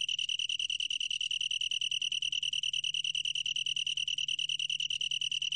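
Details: Long-tailed tree cricket singing a steady, unbroken high trill, a pure ringing tone made of rapid, even pulses with a fainter overtone above, over a faint low hum.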